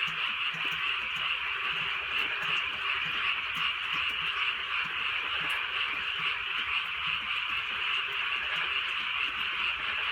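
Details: Frogs on a rainy rural night, many voices croaking together; sustained high-pitched chorus with quick repeated pulses, no breaks, accompanied by soft drizzle and occasional faint drips.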